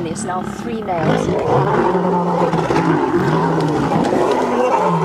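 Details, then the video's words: Lion fight at sunrise, August 11, as three males visit a pride with cubs and the females turn aggressive. Dense overlapping growls and snarls, steady and rasping, with a low droning growl carrying through the middle. "Birminghams And Nkuhuma have a ROARING fight"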